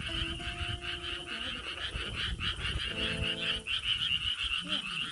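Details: Frogs croak loudly and nonstop in a steady, pulsing chorus on a pitch-dark night at a countryside villa, with a few plucked acoustic guitar notes and a wind chime.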